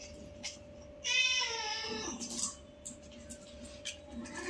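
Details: Newborn kitten playing with its mother, part of a litter of five at home; one strong, high, bright meow lasting about a second, then quieter scuffling and clicks against a constant electrical hum.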